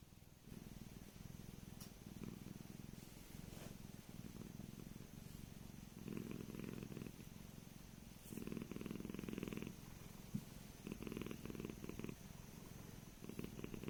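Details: Steady low purring from Tiki, an aging Korat cat, a Thai breed, who was raised in Thailand and now lives in England, swelling into louder pulsed phrases every couple of seconds over a continuous soft rumble.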